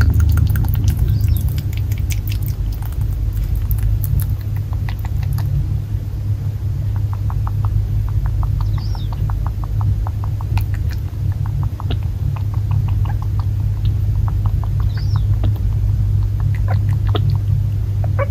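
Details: A male Netherland Dwarf rabbit born May 2019, kept in an old rural house in Japan, gulping water eagerly as if very thirsty; rapid repeated clicking swallows in runs, over a steady low hum.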